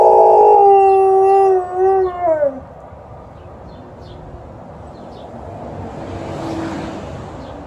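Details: Alaskan Malamute named Liza howls as an ambulance goes by on an emergency call, a full harmonic note that wavers and drops off after about two and a half seconds, leaving only faint background hiss.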